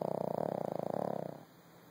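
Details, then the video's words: Little dog in a deep nap after a tiring day, giving one rapid, fluttering, buzzy snore that holds steady, then fades out into quiet. "A Snoring Dog"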